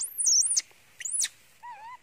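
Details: Young pet monkey crying and screaming loudly, described as very hungry for its mother and covering its face with a towel; very high, shrill screeches rising and falling in arcs, then a softer wavering whine.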